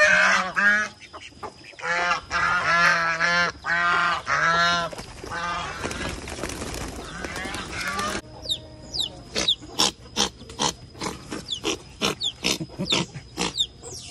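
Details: Angry baby otter Anber being disciplined by otter Titi at an animal sanctuary, a rescue headed for release into the forest: loud harmonic squealing cries in quick bursts, then a run of sharp high chirps and clicks.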